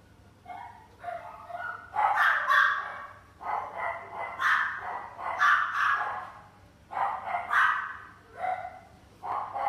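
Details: Shiba Inu in a pet shop, giving a series of short, sharp barks and yips in bursts of two or three, with brief quiet gaps between volleys and a faint low hum underneath.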